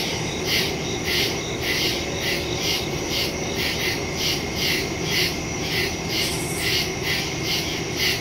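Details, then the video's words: Crickets chirping at night in the woods, recorded September 2, 2023, on a phone with a stereo microphone; high, shrill pulses repeat roughly twice a second over a steady insect hiss, with other callers overlapping. "Crickets in the woods at night"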